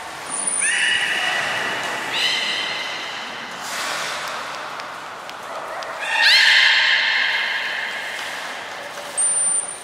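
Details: Belugas Taanya, Nana, Mirai and Nico training at Port of Nagoya Public Aquarium, Japan, 11 July 2020. A series of short, buzzy, harmonic tonal calls about every two seconds, the last with a wavering rise; faint high steady tones and hall echo.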